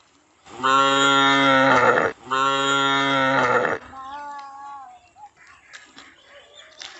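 A calf gives two long, loud, steady moos, then a softer wavering bleat.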